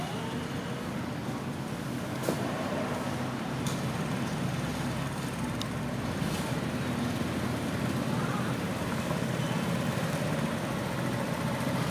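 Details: Steady road traffic rumble with passing vehicles and faint voices; no animal calls stand out.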